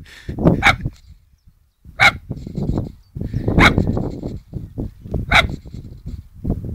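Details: Holly, a poodle, giving a remote-controlled model plane a good telling off outdoors: sharp, bright barks spaced about every one and a half seconds, four loud ones standing out over low rumbling, rustling and movement noise.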